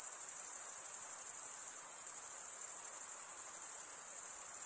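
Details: Crickets, males chirping by stridulation, rubbing one wing's toothed vein against the other, in a dense, unbroken, very high-pitched shimmering trill with a fine rapid pulse and no other sounds.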